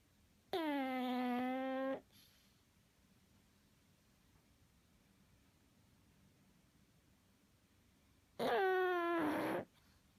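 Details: Sleeping pug snoring: two drawn-out, nasal, tonal snores with a buzzy, reedy edge, each about one to one and a half seconds long and spaced about eight seconds apart, with quiet breathing between them.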